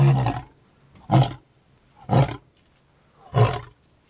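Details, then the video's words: A lion at Edeni Game Reserve, recorded in 2011, gives deep, booming roars, one roughly every second, each a short heavy grunt. "Simunye Project - Lion Roaring"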